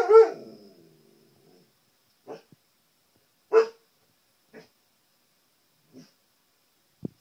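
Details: Pet Siberian Husky barking at his reflection on a television: one strong, harsh bark that fades into a low growl, then long silences broken by short soft barks and one louder bark midway.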